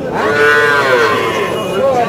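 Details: Calf at a cattle market in Chaubaria, Manda, Naogaon, Bangladesh; a loud, drawn-out moo with a wavering, slightly rising tone lasting about two seconds.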